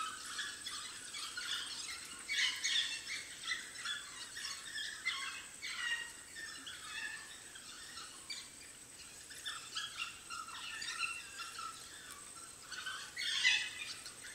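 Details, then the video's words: African wild dog puppies at their den, giving high, squeaky twittering calls and squeals in quick irregular bursts, with louder flurries near the start and end over a steady high hiss. "The sounds of African wild dog puppies at their den"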